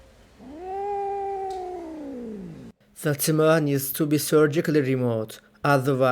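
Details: Rescued kitten, abandoned for two days in -11°C snow, lets out a single long meow that holds steady and then falls away, followed by a person talking.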